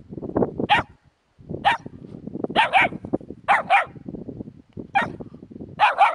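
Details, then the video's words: Puppies near a hedgehog giving high, sharp yapping barks, often in quick pairs, about eight bursts over six seconds, with a constant low rustling and scuffling underneath. "щенки и ёжик"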